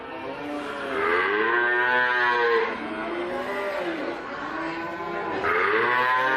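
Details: Cattle giving steady, overlapping moos, long harmonic calls with rising and falling pitch, loud and sustained throughout.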